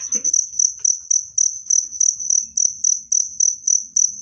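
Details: Cricket used as a natural rat deterrent and bird therapy: sharp high chirps repeated roughly every quarter second, each with a soft low thump beneath, opening with a short murmur of voice.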